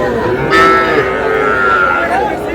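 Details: A young bovine at a Faridpur market on 15 May gives one long, level, tonal moo lasting about two seconds, while people talk nearby.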